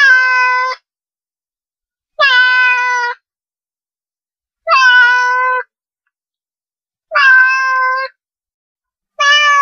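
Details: Cat sound to make cats come over: five steady meows, each close to a second long, repeated at an even pace of about one every two and a half seconds, bright and tonal with no other sounds.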